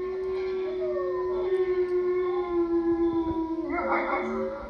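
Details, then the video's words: Wolves howling together: one long, level, drawn-out tone sustained throughout while other voices slide and waver above it, ending in a rougher, wavering burst of overlapping howls. "Wolf sounds"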